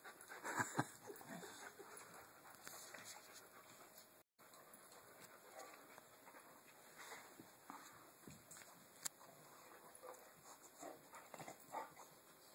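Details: Pet dogs Chewy and Tucker at play with their rope give rough, noisy grunts and whimpers in uneven bursts, with a sharp break of silence just after four seconds and scattered clicks and scuffles later.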